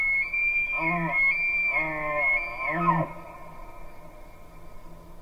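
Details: An elk near a lake bugles: a high sustained whistle over a series of deeper grunting pulses, three bursts in about three seconds. The call ends in a sharp downward slide, followed by quiet low background noise.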